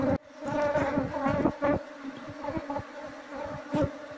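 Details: Loud close buzzing of a wild Apis cerana honey bee colony during a queen search for moving it into a hive box; strong humming tones with rapid clicks and thumps throughout.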